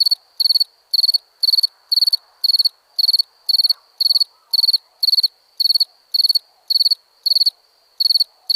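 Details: {'caption': 'Crickets chirping at night in India: short bright pulsed chirps repeated about twice a second in a steady rhythm, with faint background insect hum.'}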